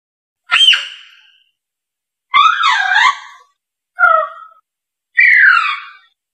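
A Diana monkey gives four separate loud, wavering squeals about every one and a half seconds, each sweeping up then down in pitch with a bright, ringing tone.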